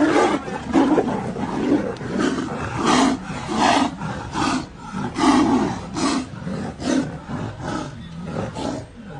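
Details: Bengal tiger; fighting roars; fighting for dominance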